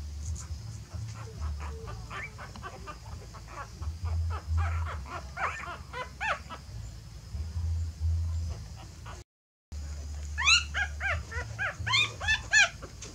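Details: A mother dog is relocating her puppies to another nest, possibly because it is messy. Many soft, quick whimpers blur together over a low hum, then, after a brief silence, several louder high squeals follow.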